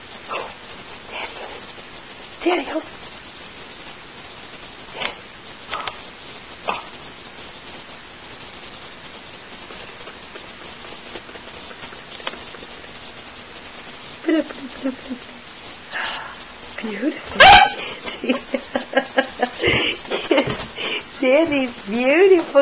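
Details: Sandy, a female junkyard dog, bursts into yelping barks and wavering, whiny cries in the final seconds after a few scattered sharp sounds earlier; a woman talks to her over a steady background hiss.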